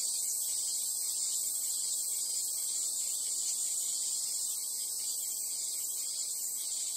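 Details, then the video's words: In summer at the Imperial Palace, Chiyoda City, Tokyo, a Japanese cicada gives a steady, shrill drone that holds high and unbroken, with no pause or change in rhythm. "Japanese Cicada / Summer sound."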